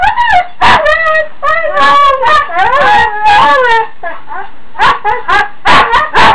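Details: Huskies in the morning demanding to be let outside: a continuous run of loud, wavering, talking-style howls and yips, pitch sliding up and down through rising and falling moans, with a brief pause near the middle.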